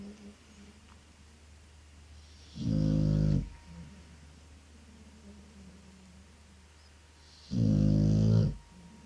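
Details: Sleeping dog snoring: two deep, rattling snores about five seconds apart, each lasting under a second, with faint breathing and near silence in between.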